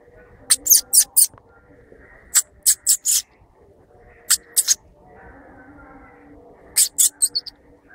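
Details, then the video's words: Squirrel uttering sharp, high, squeaky chirps in quick clusters of two to four, separated by short pauses, over a faint low background hum. "Squirrel noises"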